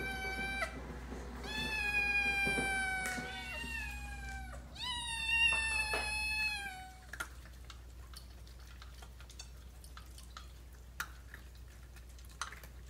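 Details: Hungry Ragdoll cat giving a run of loud, drawn-out meows that fall slightly in pitch, then quiet after about seven seconds apart from scattered clicks and a low background hum.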